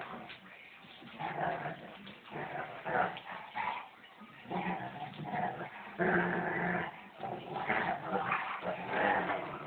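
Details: Two pet German Shepherds play-fighting, a female and a younger male, the female finally showing him who's boss; rough, rumbling growls and grumbles come in uneven bursts that swell and fade over about ten seconds.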